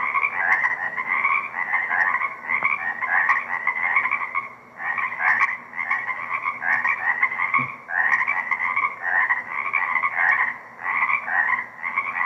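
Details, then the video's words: Chorus of many frogs in a remaining swamp wetland at Deer Lake, 4/2/24, captured by shotgun microphone: dense buzzy pulsing trills overlap continuously, swelling in bursts of roughly one to two seconds with brief dips, plus a faint steady low hum. "Deer Lake Frog Chorus - 4/2/24"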